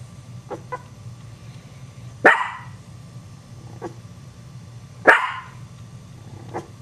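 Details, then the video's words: Dog barking and startling Chihuahua puppies: two loud, sharp barks about three seconds apart, with fainter short yips and sounds between them over a steady low hum. "Chihuahua puppies get scared of dog's barking"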